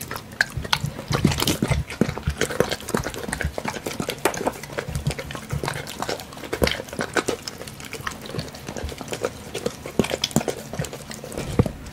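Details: A Doberman eats bacon. Crunchy, crackling bites come in quick bursts with gaps between, and the sharp chomps are louder near the start.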